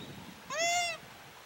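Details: Call of a Japanese macaque where monkeys mount deer: one short, clear, harmonic-rich tone that arches gently upward and then slides down, lasting about half a second, over soft rumbling background noise.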